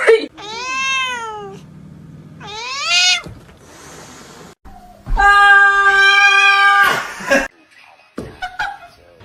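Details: Domestic cats in a home giving long harmonic meows, two rising-then-falling calls in the first three seconds, then a sustained loud meow near the middle, with a woman's voice talking softly in between.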